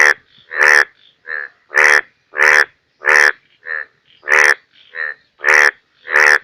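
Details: Bangladeshi rainy-season chorus of Indian bullfrogs, Hoplobatrachus tigerinus: coarse, buzzy croaks in uneven bursts, loud calls interleaved with softer, shorter ones from more than one frog, roughly one and a half per second.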